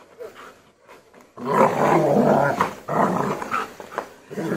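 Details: German Shepherd being trained to act aggressively: after a quiet second, a sustained, loud, rasping growl rolls on for about three seconds, dipping briefly before resuming.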